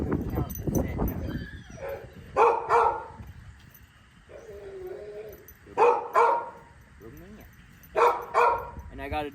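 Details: The trainer's own intense, high-prey-drive Rottweiler-type dog barks in another room, giving deep, harsh barks, usually in quick double bursts about every three seconds, with a man talking at the start.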